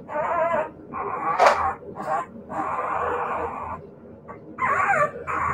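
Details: Siberian Husky puppies giving drawn-out, harmonic whines and yowls in bursts of about a second, broken by short yips and brief pauses, with a faint background hum.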